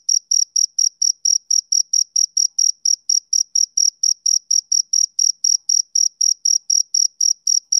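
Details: Steady chirping of a male cricket, a summer-evening sound: bright high pulses falling roughly four per second, evenly spaced and unbroken, against a silent background.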